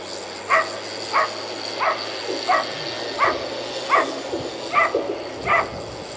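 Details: Repeated barking from a whippet at the Turku Cup, second timed run of heat 29 on a 280 m course. Short clipped yelps come about every 0.7 seconds, eight in a row, with a low mechanical drone beneath.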